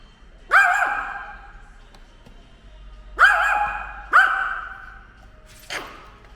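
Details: Barking at a drone it dislikes, ten-year-old pet dog Ttori lets out three sharp resonant barks with echoing decays, followed by a brief broadband scraping burst near the end.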